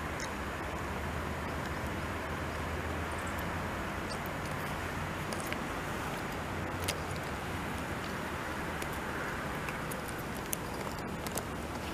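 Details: Constant broadband traffic-like roar fills the recording, with occasional faint clicks and no animal voice heard.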